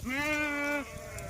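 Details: Goat taken out to graze, Dhangar herding life: a single clear, steady bleat lasting under a second, strongly harmonic and slightly quavering, followed by quieter bleating and low background noise.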